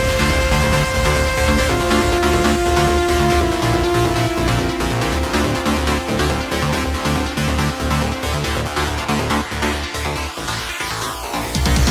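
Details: Electronic dance music with a pounding beat and sustained synth notes fills the whole stretch, with no animal voice heard.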